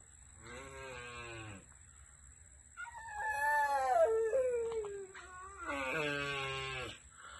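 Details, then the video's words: Critically endangered Asian Black Giant Tortoises (Manouria emys phayrei) mating at a turtle survival center: long, drawn-out harmonic groans, a strained moo-like first call, then a wavering descending wail and another rich bellowing call; steady high electrical whine behind. "Tortoises Mating"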